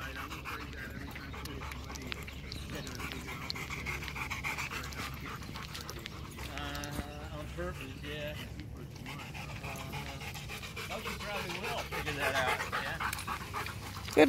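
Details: After fetch, Macho the Rottweiler keeps up fast, airy panting on the way to water, while a man talks encouragingly over the dog's steady breathing in the outdoor setting.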